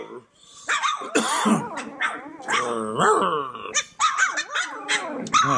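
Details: Playful Cane Corso pups in their whelping pen trade squeaky, bending yips and whiny cries with gravelly little growls, a busy overlapping chorus of small voices in a small indoor room.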